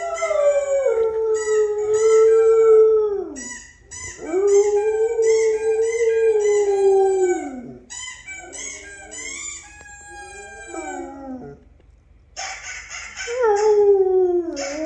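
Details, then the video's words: Pet dog howling along with a recording of her own howling: long sustained tonal howls, each a few seconds long and falling at the end, overlapping with a second, replayed howl voice. "She Howls At Her Own Howling Vid"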